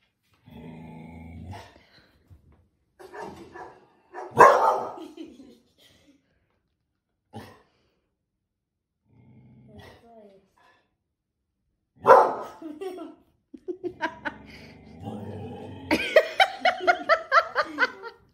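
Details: Border Collie puppy, eight months old, responding to a television dog's barking: scattered low growls and a few sharp barks, a human voice in between, then a quick series of rapid, higher yipping barks closing the stretch.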